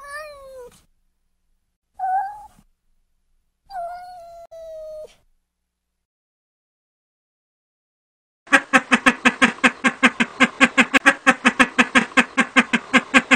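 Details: Kittens playing outside in a garden. Three short meows sound first: one falling, one brief and higher, one longer and level. After a pause comes a long burst of rapid, evenly pulsed, noisy throbbing.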